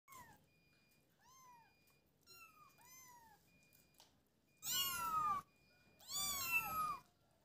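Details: Kittens playing together, mewing: a few faint, short rising-falling meows, then two loud, drawn-out high meows near the end, each arching down in pitch, in a quiet indoor setting.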